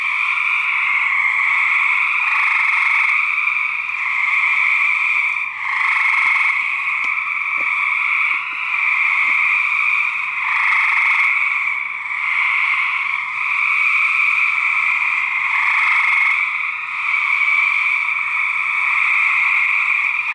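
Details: Male gray treefrogs in a research recording of a fight: rolling buzzy trills in two steady bands swell and fade about every two to three seconds over twenty seconds, with faint clicks in between.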